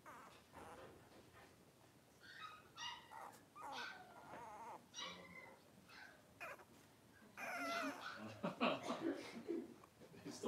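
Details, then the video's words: Three-week-old blenheim Cavalier King Charles Spaniel puppies, a litter of five born on New Year's, play and wrestle in their pen. Overlapping squeals, grunts and whiny yelps run continuously and grow louder and busier toward the end. "3-Week-Old Cavalier Puppies Wrestle and Play"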